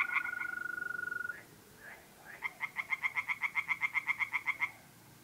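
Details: Mid-April night at a pond in North-East Italy: a mole cricket's steady continuous trill gives way to a tree frog's quick run of about fifteen loud pulsed croaks, then silence.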